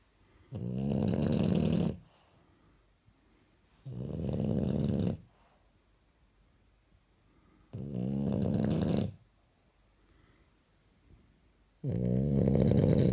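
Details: French Bulldog wearing pyjamas, asleep indoors, snoring: loud raspy rumbling snores about 1.5 seconds long, each followed by a quiet pause, four snores in a steady rhythm roughly every four seconds.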